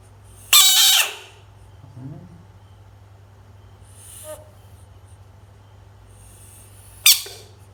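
A frog gives two loud, harsh, hissing screams several seconds apart.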